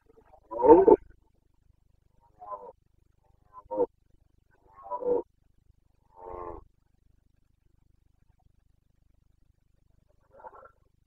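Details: Carpathian stag in the Bucovina breeding season, September 2022, giving a loud hoarse roar followed by a series of fainter grunting bellows spaced a second or two apart.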